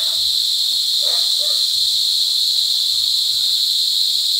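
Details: Mating cicadas calling loudly at close range in Brgy. Balabag, La Carlota City, Negros Occidental, on July 18, 2020. An intense, even, high-pitched buzz is heard, with a brief faint lower sound near one second.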